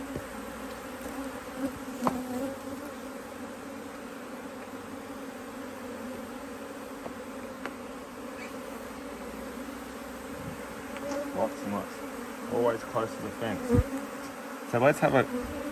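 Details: Honey bees in an Australian-designed Hive IQ beehive, mid-Autumn 2023 in Australia, hive opened to add a box of empty frames after fine weather. Steady low droning hum runs throughout, with brief human voices and handling knocks near the end.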